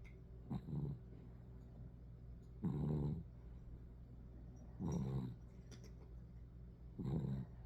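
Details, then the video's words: Tired poodle puppy asleep, snoring in low grumbling snorts roughly every two seconds, with a faint steady hum underneath. "Little Snoring Poodle"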